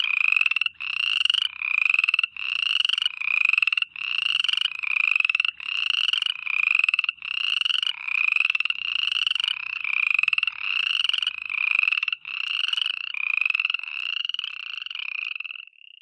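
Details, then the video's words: Night-time frog chorus of high rattling trills in bursts roughly every second, each burst a rapid series of pulses, running steadily with short breaks between calls. "FROGS NIGHT TIME AMBIENCE SOUND EFFECT"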